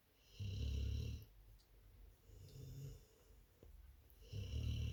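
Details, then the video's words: Labrador Retriever puppies and their mother sleep and snore in a quiet room: slow, low rumbling breaths, a long rasping snore about every two seconds with softer ones between. "Die Labradorwelpen & Hundemama Chilly schlafen & schnarchen."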